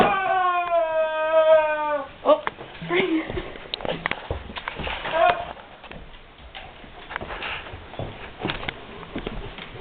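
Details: Guard dog whining, unsure what to make of a squeaky toy: a sustained, slightly falling whine with rich overtones lasts about two seconds, followed by scattered softer whimpers, thumps and a person's voice indoors.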